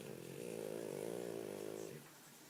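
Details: French Bulldog snoring while dreaming: one long, rough, droning snore lasting about two seconds, then a quiet room.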